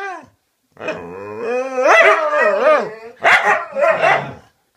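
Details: Cute dogs talking to each other: a drawn-out wavering whine that rises and falls, followed by two rough barking yelps.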